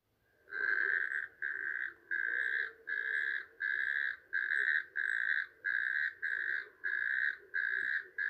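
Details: Natterjack toad in Poland, called the least-known Polish toad: loud, buzzy trills about half a second long, repeated steadily about once every 0.6 seconds, with a faint lower background hum.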